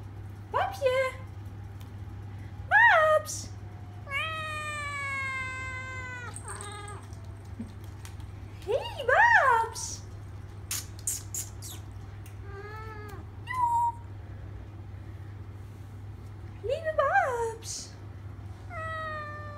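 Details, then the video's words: Three-month-old Siamese kitten Babs, a traditional Thai type born October 2015, answering her owner at home: one long descending meow among short chirpy mews and brief rising squeaks, spaced irregularly, with faint clicks and a low room hum. "Babs the Siamese (Thai) talking kitten"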